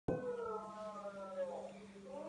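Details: West Highland White Terrier singing at breakfast; a single drawn-out, wavering howl-like tone that slides and bends in pitch, with a steady low hum underneath.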